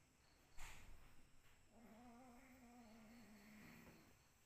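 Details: Cat producing one sustained, low, slightly wavering moan lasting about two seconds, preceded by a sharp knock and followed by quiet room noise.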